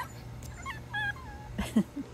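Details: Miniature Australian Shepherd puppies playing outdoors on a Wednesday morning; a thin, high, whistled whimper with short wavering tones, followed by a couple of soft low yips, amid faint background hum.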